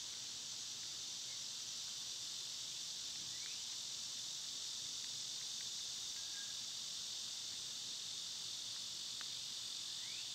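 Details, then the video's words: Dense, loud summer cicada chorus forming an unbroken high, hissing wall of sound, with only faint scattered chirps beneath it. "Cicada sounds"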